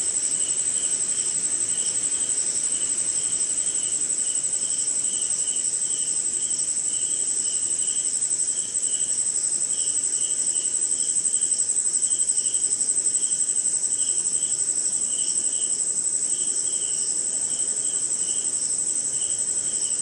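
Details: A rainy Indian night chorus of crickets and other insects: an unbroken piercing high drone layered with evenly spaced pulsing chirps, steady throughout over low rain hiss.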